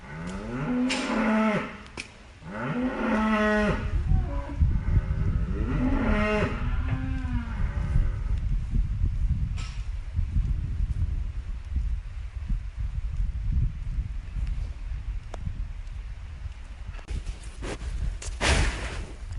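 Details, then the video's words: Cattle lowing in three close, similar moos early on, each a drawn, slightly wavering call with strong harmonics, followed by a fainter moo near ten seconds, with a low constant rumble and scattered clicks and thumps. "Cow Sounds And Cow MOOOOO Sound Effect"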